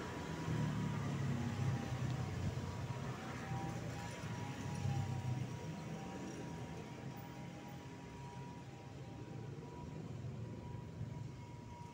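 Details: Low rumbling street traffic and a faint steady hum are heard outdoors, with no animal voice.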